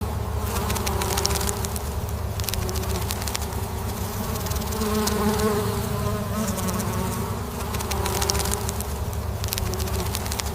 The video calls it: 18.Buzzing bees – gentle humming sounds of honeybees